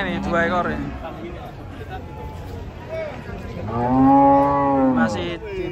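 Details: Cattle, described as raging and caught while unloaded from a truck, give a short moo and then a long, loud, steady lowing call of about a second and a half, with voices in the background.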